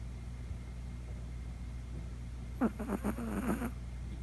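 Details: Chihuahua puppy sound asleep in the middle of the night, snoring for the first time and making an unfamiliar noise: about one second of rapid, raspy, pulsed snorts over a steady low background hum.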